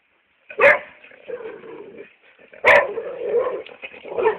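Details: Two sharp, loud barks about two seconds apart from Hugo, a chocolate brown Labrador Retriever. Softer muffled noises and grumbling fill the gap and the end.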